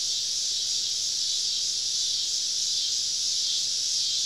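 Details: Southern summer evening chorus of many cicadas surrounding a camp deep in the woods, forming one unbroken sizzling high whine with constant loudness and no other clear sounds.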